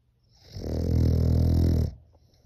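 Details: Sleeping French Bulldog with a human-like snore: one loud, low, vibrating rattle held about one and a half seconds, rising and falling evenly in a quiet room.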